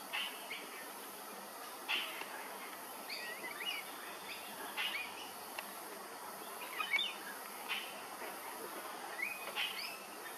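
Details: Flying foxes, fruit bats, at Hervey Bay, Queensland: scattered squawky, scratchy chattering calls break out every second or two over a steady hiss of background noise, with brief louder bursts of squabbling.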